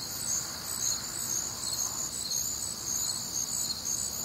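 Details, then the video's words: Midwestern crickets on a warm, humid summer night, among other nocturnal sounds, give high pulsed chirps nearly twice a second within an unbroken shrill chorus. "Night Time Cricket Sounds"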